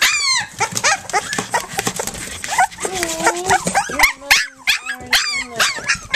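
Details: Flute's litter of puppies, three weeks old, nursing and playing, giving a busy chorus of high, thin squeaks and whines, some sliding down in pitch, overlapping rapidly with a few longer, steadier whimpers.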